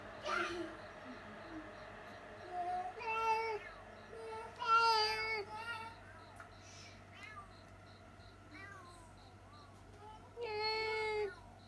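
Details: Pet cats crying out indoors after catching sight of a cat outside: several wavering, harmonic yowls of varying length, some rising and falling, separated by pauses, with a steady electrical hum and faint voices underneath.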